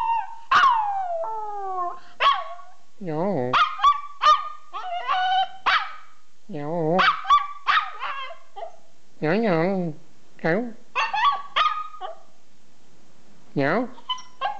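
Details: Pet dog vocalizing for fun: sliding howls, trembling low warbled moans and clusters of sharp yips, alternating over about fifteen seconds with short pauses, no other sounds clear.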